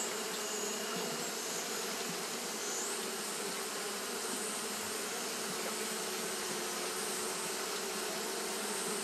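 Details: Japanese honey bees fanning nonstop through a hot day. A thick, even buzz fills the whole stretch, a low droning hum under a bright hiss, with occasional faint higher whines from individual bees.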